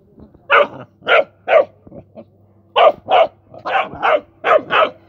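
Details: Rottweiler pup busy playing with mice barks in two bursts of shrill, slightly rough yaps, three first and then a quicker run of six or seven, with a faint hum beneath.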